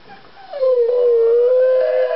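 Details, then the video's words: Toby, a pet Beagle, howls from separation anxiety after running to the window when his owners leave to check the mail. A short rise leads into one long, steady, loud howl held for about one and a half seconds. "Howling Beagle: Toby's Separation Anxiety"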